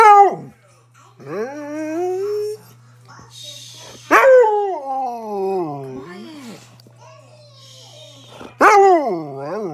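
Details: Chatty pet husky talking at home in a run of wavering, yodel-like whines and moans that rise and fall in pitch, three loud onsets several seconds apart, over a faint steady low hum.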